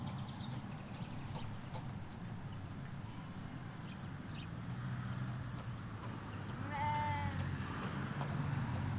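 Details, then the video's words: A single clear, quavering bleat from sheep among ewes and lambs in the Hampshire countryside, heard late after quieter stretches, over a steady low road rumble, with faint bird calls, captured in stereo from a hedge. "4K Sheep Field - One Hour Sound and Video"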